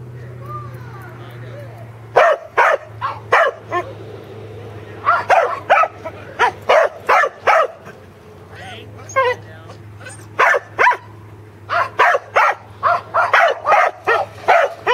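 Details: Second herding session for corgis Teddy and Jack, working sheep at Island Crossing Farm in Arlington, 27 March 2011. Short, clipped barks come in quick groups after a couple of quiet seconds, over a steady low hum.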